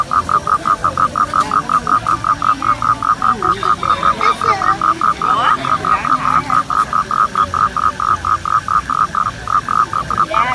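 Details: Toad; mating call; calling during mating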